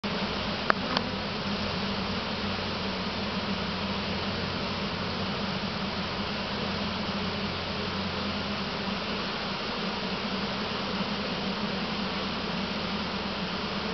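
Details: Honey bee swarm, caught in a nearby swarm trap, being put into a single deep hive, which the bees did not like; dense steady buzzing hum with a low droning band and a few sharp clicks near the start.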